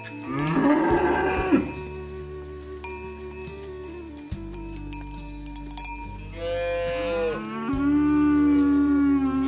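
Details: Cattle herded to the barn, a cow calling its friends to the pen. A rough, rising moo opens, then a second long, wavering moo follows after a pause, set against continuous music with chiming bell tones and a low pulsing bass.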